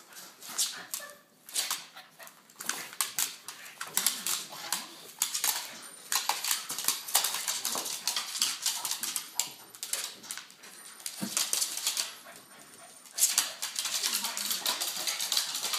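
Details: Two dogs at play, foster dog Ginny and Boston terrier Trevor, with quick scratchy scuffling throughout, brief whimpering and whiny sounds from the dogs, and occasional human voice nearby.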